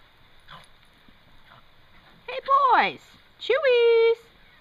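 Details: Two Toy Fox Terriers playing in the snow; after a faint quiet stretch, two loud high whining yelps, the first sliding downward, the second a held steady whine of about half a second, with a person speaking briefly.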